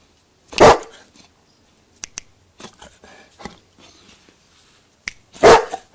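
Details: Newfoundland dog barking for a sausage indoors: one deep loud bark, a stretch of soft sniffs, clicks and quiet sounds, then a second booming bark near the end.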